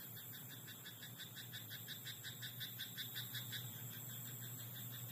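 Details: Frog croaking in a rice paddy at night: a fast run of short, rasping pulses, about three each second, over a steady high-pitched drone and a low hum.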